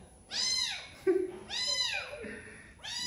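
A domestic cat gives repeated high, arching meows that rise then fall, about every second and a half.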